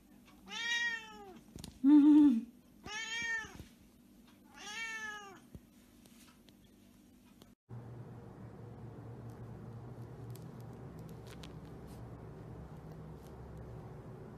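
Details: Havana Brown cat meowing indoors: four clear arched meows spaced about one to one and a half seconds apart, with a brief low sound near the second, then the calls stop and a steady low hum fills the rest.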